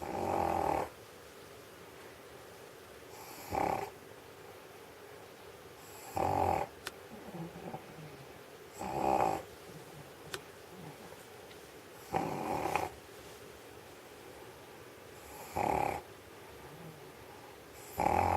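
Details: Old stray dog, well fed on sausage, sleeping on a warm studio floor in Sheregesh: seven regular harsh snores, one about every three seconds, with quiet breathing and faint clicks in between.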